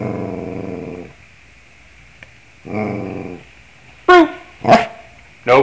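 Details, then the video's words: Pet dog singing along to the scales indoors: two drawn-out, low, wavering howls, followed by three short, loud, sharply falling yelps. "Bruno singing the scales"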